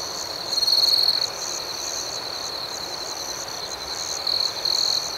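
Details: Crickets chirping in the night: a high, constant trill and quick rhythmic pulses, roughly four a second. A louder nearby trill swells at the start and returns in two bursts near the end.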